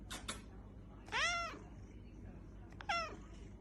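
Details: Domestic cat indoors meowing twice, each call a drawn-out arched note with rich overtones, after brief clicks; a person speaks to it between calls.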